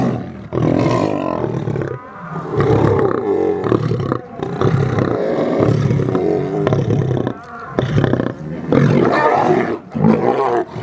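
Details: Lions receiving a snack at the South African Lion Park in Johannesburg give heavy, low rumbling growls and throaty snarls in long loud stretches, separated by short quiet breaks.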